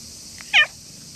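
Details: Stray cat in the grounds of a shrine in the evening, growing friendly toward a visitor; one short, high meow that bends up then down, over steady quiet background hiss.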